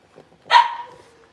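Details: Blenheim Cavalier King Charles Spaniel puppies, a litter of five born around New Year's, newly moved into a big indoor pen; one sharp, high yip lasting about half a second, starting bright and trailing off into a thin tonal tail, in an otherwise quiet room.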